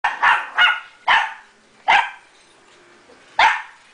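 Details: Pomeranian puppy, a pet indoors, barking at a vacuum cleaner it is attacking: five sharp, high barks in quick succession, spaced unevenly, with a woman's voice urging it on.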